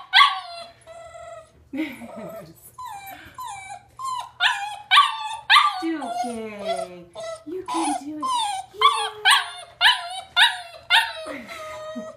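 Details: Duke, a 7½-week-old Greater Swiss Mountain Dog puppy, whimpering in frustration at the top of the stairs; rapid high-pitched yips and whines, nearly two per second, some sliding downward, with a person's soft encouraging voice in between.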